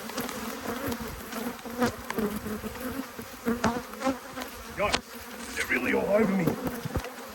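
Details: Honey bees from two hives, cross at being inspected by a beekeeper on 5 March 2022, fill the air with a dense, steady low buzz of many wings, with sharper passes of individual bees and a faint human voice near the end.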